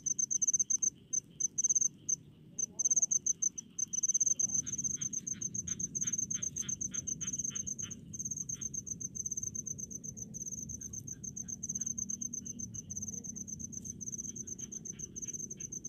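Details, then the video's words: Crickets singing among rice fields: bright high pulsed chirps running steadily, joined from about four to nine seconds by a lower cricket's repeated short trills, with faint rural background hum. "SUARA JANGKRIK DI PESAWAHAN"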